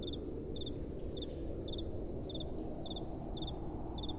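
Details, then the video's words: Crickets calling at night over soft blowing wind; short doubled high chirps repeat steadily about twice a second above a broad low rush of wind. "Relaxing Night Time Sounds | Crickets & Soft Wind"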